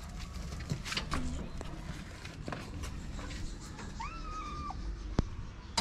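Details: Street kitten in Morocco, a homeless female that climbs onto her feeder's lap, utters one drawn-out, slightly wavering meow near the end, preceded by a shorter upturned note, against steady rustling and low background noise.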